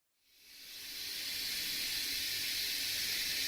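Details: A captive rattlesnake in a UK venom research unit shakes its tail rattle: a steady, dry, high-pitched buzz that swells in within the first second and holds without a break.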